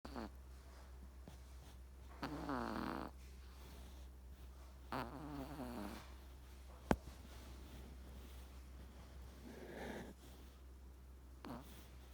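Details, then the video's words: Three-month-old male Persian kitten asleep, snoring in a few soft, uneven breaths with rasping harmonic buzz near two and five seconds and again near ten, over a steady low hum and one sharp click. "snoring kitten"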